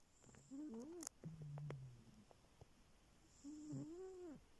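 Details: A cat snores in its sleep, giving wavering whistled tones with a low droning hum between breaths, two clear breath sounds in a few seconds.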